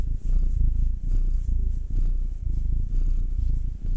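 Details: Domestic cat purring while being massaged at home, one of two pets: Will, a nine-year-old male black cat, or Anzu, a two-year-old female tortoiseshell Munchkin. A deep, steady rumbling purr with a fast pulsing beat and slight swells in loudness.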